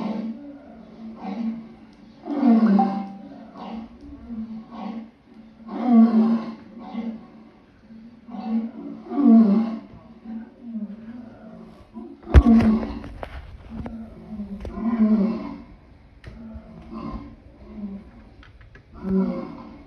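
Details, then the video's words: Lion giving a series of deep, low grunting roars, each a short throaty pulse repeated roughly every three seconds with a sharp click near the middle and a faint background hum. "Lion sounds"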